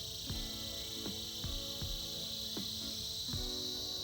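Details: Cicadas in a winter chorus: a steady, bright, high-pitched buzz holds without a break, while a melody of plucked notes plays underneath, each note struck roughly every half second to second.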